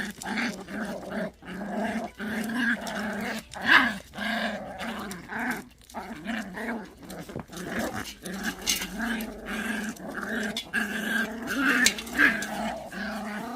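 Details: Low, continuous rumbling growl from Pungsan dogs fighting over rank, held steady with a few sharper snaps and yelps breaking through.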